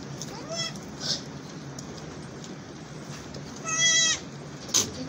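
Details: Newborn twin baby goats bleating; a few short, high, wavering bleats with harmonic stripes, one near the start and a louder one near four seconds, over steady background hiss.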